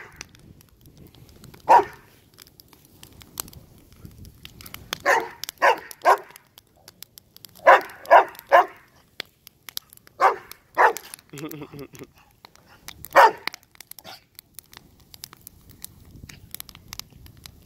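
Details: A dog in a yard barks at a fire where things are being burned. A single bark is followed by clustered bursts of two or three quick barks, spaced irregularly, over light crackling.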